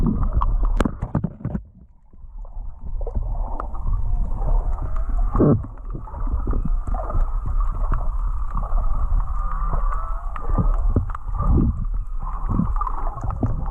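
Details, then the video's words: Underwater off Kihei, Maui, near Charley Young Beach, whales sing a layered chorus of sliding, wavering tones. Sharp crackling clicks and deep water rumble run beneath, with a brief quiet dip early on. "snorkeling to the Whale Song!"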